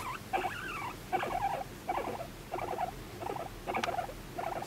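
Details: Affectionate, attention-seeking guinea pig, the pet Moru-chan, giving a series of bubbly squeaks with wavering whistled tones, each burst about three quarters of a second apart.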